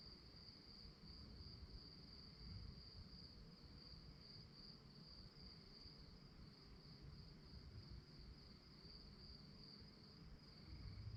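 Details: After dark, crickets keep up a level, high, ringing trill with faint rhythmic pulsing, set against a steady low-pitched rumble.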